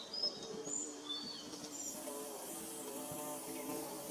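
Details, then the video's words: Nest-building bees drone in a steady, even hum, with a few quick high bird twitters early on and a faint hiss of surroundings. "Bee Buzzing"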